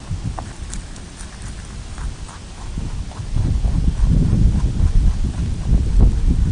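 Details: A rabbit (Oryctolagus cuniculus) on Okunoshima, the Rabbit Island in the Seto Inland Sea, Hiroshima, Japan, chews close up in a fast run of soft crunches about three or four times a second.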